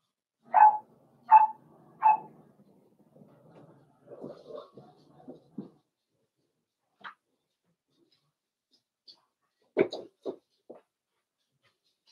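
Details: Cavalier King Charles Spaniel puppies, four weeks old, socialising with other dogs in an indoor puppy pen; three clear, evenly spaced whining yelps open the clip, followed by human talk and a few scattered sharp sounds.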